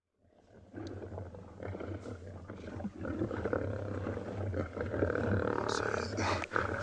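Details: Two dominant male lions, drawn in at sunrise by a buffalo's distress calls near a fresh buffalo carcass, give deep, rumbling roars to show dominance and drive a young rival male away.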